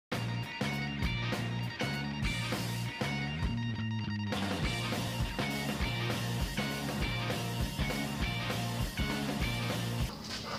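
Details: Loud rock music with guitar and a steady drumbeat plays throughout, and no animal sound can be picked out.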